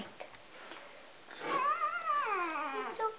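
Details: A three-day-old Golden Retriever puppy from a litter of seven on a Vermont farm, held and snuggled by children, gives a thin, high whine that rises, wavers, then slides downward; possibly hungry.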